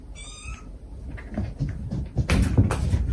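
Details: Stray domestic cat mother and kittens calling back and forth: one short, high, strongly harmonic meow at the start, then rustling, knocking and loud handling noises.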